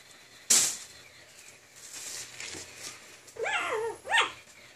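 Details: A rare, pocket-sized Pomeranian gives two short, high, arching yips near the end, after a sharp knock and quiet room noise.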